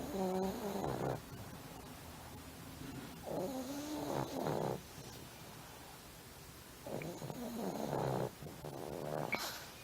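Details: Cat snoring indoors: three rough, nasal breaths with harmonic bands, each about a second long and spaced roughly three seconds apart, plus a faint snorting at the end.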